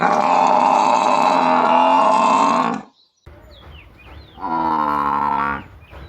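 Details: In a village, a cow or water buffalo gives a long, steady, strongly harmonic moo lasting nearly three seconds, then a shorter second one, with brief high chirps from small birds between calls.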